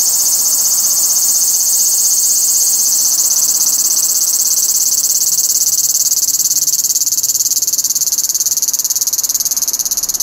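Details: Cicada in Fukuoka, Japan: a loud, continuous high-pitched buzzing drone with a fast pulsing texture, steady throughout and slightly wavering toward the end, with no other clear sounds.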